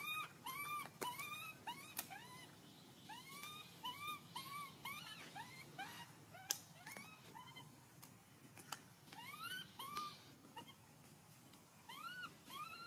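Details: Baby monkey crying loudly from hunger, asking for milk, with repeated high, arched whistled cries coming in quick clusters about twice a second, against faint background hiss and occasional clicks.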